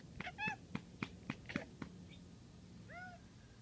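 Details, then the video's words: Domestic cat watching and talking to birds: a quick run of sharp clicking chatters, one short harmonic meow near the start, and a soft arched meow near the end, indoors. "My cat talking to the birds"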